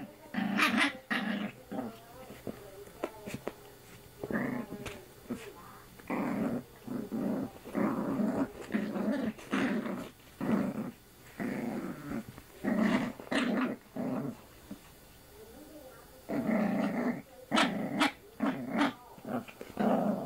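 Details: Female puppy named Sammy growling while playing with a person's arm indoors; repeated bursts of rough, buzzy growls, each about a second long, with short pauses between them and a few sharper yips.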